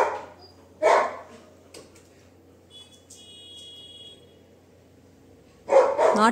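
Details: Pet Labrador Retriever Duke indoors, one loud bark near the start and a longer barking burst at the end, with a quiet gap between and faint high squeaky tones in the middle.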